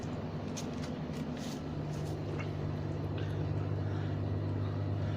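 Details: Steady urban road traffic rumbles outdoors, with passing vehicles and no clear animal sound.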